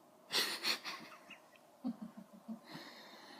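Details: A male pet cat making noises while chasing a laser pointer. Two breathy, hissing bursts open, then a quick run of five or six short, low, clipped chirps, ending with a soft breathy exhale.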